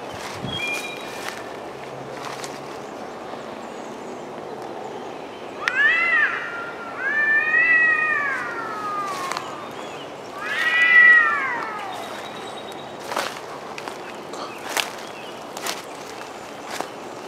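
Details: Cats arguing outdoors in the woods: after quiet clicks, three bursts of arched, wavering yowls around the middle, then scattered knocks and rustles.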